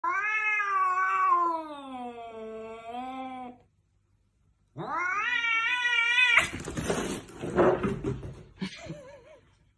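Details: A bully cat being ambushed gives a long, loud wavering caterwaul that slowly falls, pauses, then rises into another drawn-out yowl before breaking into a harsh hissing, spitting scuffle.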